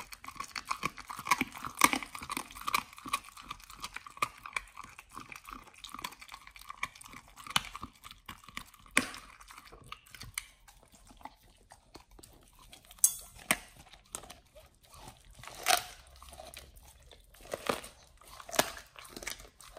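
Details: Pit Bull Nomyen eating raw whole Thai duck for the first time; dense wet chewing early, then softer gnawing with scattered loud crunches and clicks toward the end, recorded indoors.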